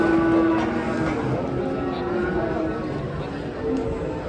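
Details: Rampaging masked cow, unloaded from a truck, holds a steady, low, droning moo for most of the span. Background chatter and outdoor noise run underneath.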